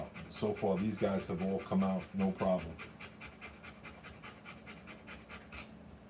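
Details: Rottweiler panting while giving birth to puppies: after a person talks for the first few seconds, quick breathy pants follow, about three to four per second in a steady rhythm.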